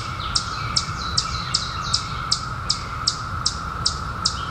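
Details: Droning periodical cicadas, 2021, out after 17 years: an unbroken one-note buzzing chorus while crisp high chirps punctuate it at a steady rate of roughly two per second, low rumble underneath.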